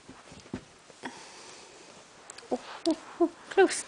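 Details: Yuki, a four-month-old Corgi puppy indoors, barks at its own reflection in a mirror. Soft sniffs and taps come first, then a quick run of four short, high yipping barks over the last second and a half, each louder than the last.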